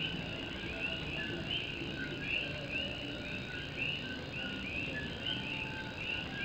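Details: Night chorus of Puerto Rican coqui frogs in Morovis, Puerto Rico, with rain drumming on an old tin roof; a steady stream of brief upward-sweeping whistled calls from many frogs over broadband rain noise.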